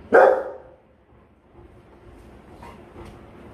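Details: A single loud bark from a guarding Rottweiler, followed by quiet with faint clicks and soft background noise.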